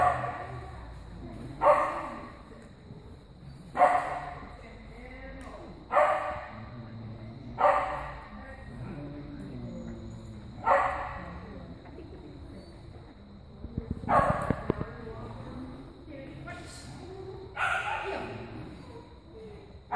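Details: Soft-coated Wheaten Terrier giving single sharp barks, spaced roughly every two to three seconds, each bark brief and loud, over a steady low indoor hum with faint voices between barks.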